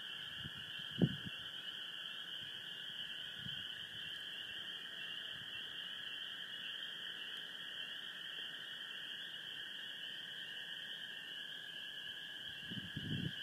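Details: A dense night chorus of common gray treefrogs and spring peepers under a full moon in Sheboygan County, Wisconsin; high peeps and trills blend into a steady ringing wall.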